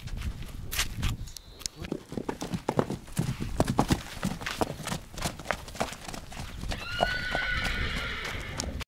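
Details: Stallion kept together with a mare: steady clopping hoofbeats fill most of the recording, then a short high harmonic whinny rises near the end over the continuing hooves.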